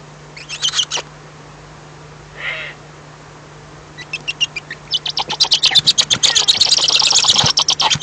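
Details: Mice fighting, recorded 28 April 2015 at 12:18 PM: a burst of high squeaks near one second, a short buzzy lower squeal, then from four seconds rapid trains of sharp, high, scratchy squeaks growing denser and louder, over a steady low hum.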